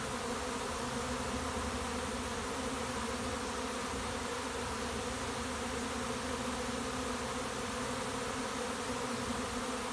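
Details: Honey bee swarm arriving at a bait hive, an old winter dead-out placed beside a house: a dense, steady hum of many bees with no pauses, even in loudness throughout.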